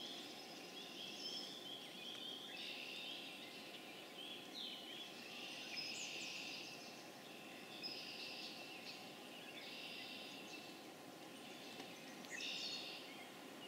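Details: Pseudacris crucifer, the spring peeper, in full April chorus at Harvard, Massachusetts, on April 27, 2011; countless high peeps blend into a shimmering drone that pulses in stronger surges every couple of seconds.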